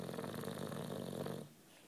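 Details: Nine-year-old British Bulldog snoring while sleeping and relaxing: one rough, rattling, throaty breath lasting about a second and a half, with fast fluttering pulses, then quiet.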